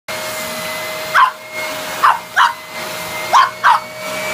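A Pekingese lets out brief, fairly high-pitched barks, some single and some doubled, about a second apart. A vacuum cleaner's loud, even whine runs underneath the whole time.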